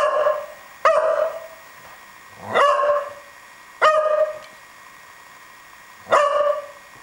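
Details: Nemo, a pet dog, barks while rolling around, his voice lower here than his usual higher pitch: four sharp, ringing barks at irregular gaps of about one to two seconds, with quiet between them.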